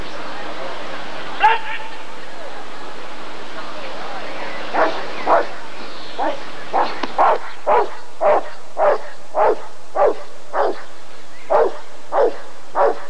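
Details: Rottweiler at an ADRK breed survey (Körung) in 1994, barking in a steady series of short, loud woofs roughly every half second, with an earlier single bark and a faint background hum.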